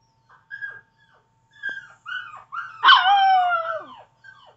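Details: Pet Chihuahua gives a string of short, thin yips and whimpering notes with brief gaps, then breaks into a longer wavering howl that slides downward for about a second, in quiet surroundings.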